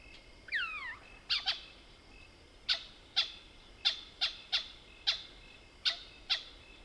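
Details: At night in the South African Soutpansberg bush, a Mohol's bushbaby gives a falling, wavering mewing cry, then a run of about ten sharp, high clucking squeaks spaced irregularly, some doubled, over a faint steady whine.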